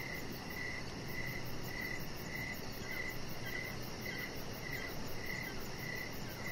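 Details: Repeated short cricket chirps, around two per second, on an evening deck under decoration lights where the chihuahua Rocket lies; a high pulsed insect trill runs steadily behind with gentle low background noise.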